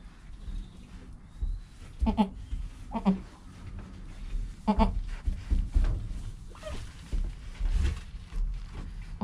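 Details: A newborn goat kid named Joel, in his first hour of life with his mother Penny nearby and filmed by a GoPro, gives three short, quavering bleats in quick succession amid rustling and shuffling sounds.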